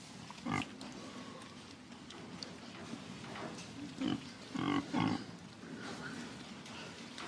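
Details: Pig giving a few short, low grunts, one near the start and a cluster of three in the middle, over a steady background murmur.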